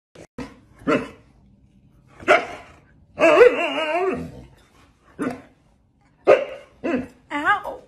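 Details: Siberian Husky indoors giving loud short barks in spaced bursts, then a long wavering howl-like whine of about a second, followed by more sharp barks and a yodelling rise-and-fall vocal at the end.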